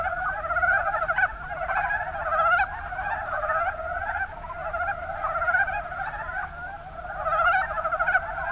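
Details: Kumamoto, Japan, Kuma Basin: many mountain brown frogs croak at once, giving knocking, rattling notes in quick bursts that overlap into an unbroken chorus, with louder surges near the start and end.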